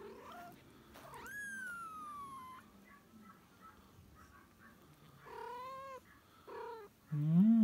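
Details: Kitten meowing to call the mother cat: one long, drawn-out mew that starts high and slowly slides down, followed by shorter, rising mews and a louder, lower cry at the end, against quiet background hiss.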